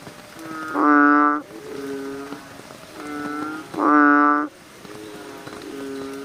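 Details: Chorus of American bullfrogs calling at night, with loud, rich, resonant croaks about every three seconds and softer, quieter croaks from other frogs filling the gaps between them.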